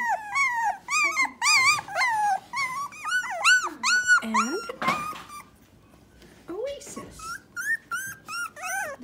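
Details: Very vocal three-week-old Dachshund puppies, Myrtle's O litter, away from their mother: quick bursts of high, arching whines and squeaks, a brief quiet spell midway, then softer whimpers resume.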